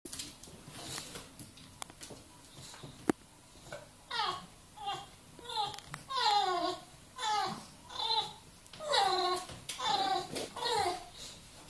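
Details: Bulldog crying like a baby: a run of high, falling whimpers repeated roughly every second in the latter half, each sliding downward, after a quieter stretch with faint rustling and clicks.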